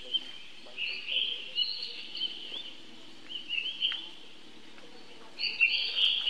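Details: A baby monkey calling its older brother for help gives high, thin, wavering squeals in short bursts.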